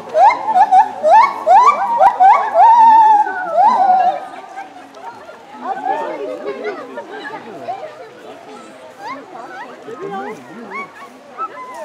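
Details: A white-handed gibbon at Cerza zoological park sings loud, swooping whoops that rise and fall, with people chattering behind.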